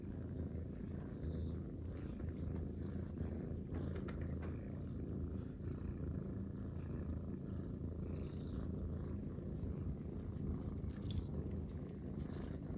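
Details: Munchkin kittens relaxing together in a ball-shaped bed, three purring at once: a steady, deep rumbling purr that runs unbroken and even throughout, with faint soft rustles above it.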